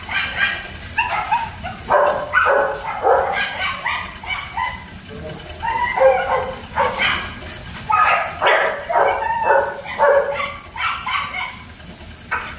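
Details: Young German Shepherds at Zondiram Kennel bark and yip rapidly in an overlapping chorus, several voices at once.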